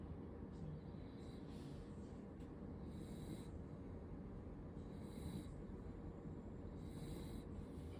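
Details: A sleeping female corgi, born March 7, 2022, snores softly, with a raspy, breathy snore about every two seconds over a low hum.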